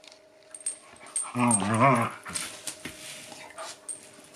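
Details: Shiba Inu Yuki and bull mastiff Dune play fighting over a chew ball. A voiced, wavering growl with a low rumbling pitch lasts under a second, surrounded by scuffling, clicks and thumps.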